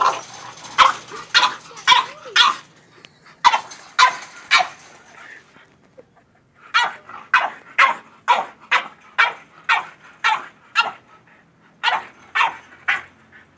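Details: Excited French bulldog worked up by a goat: bursts of sharp barks, a short whine near the start, a pause around six seconds, then steady rapid barking roughly twice a second.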